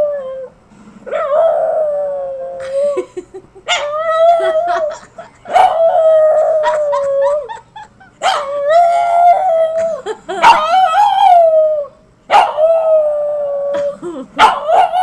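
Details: A small dog seeming to almost say "I love you", giving drawn-out, wavering howl-like vocalisations in repeated phrases with short breaks and sharp yips between them, people laughing and clapping around it.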